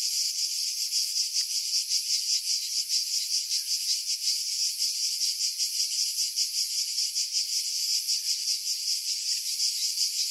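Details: Loud, nearly continuous metallic buzzing of cicadas in pine woods above Pefkos Bay, Skiros Island, Greece, July 2018, with faint fast wavering rather than clear beats. Captured on a Sony RX3 with external mic, wind buffeting removed by filtering.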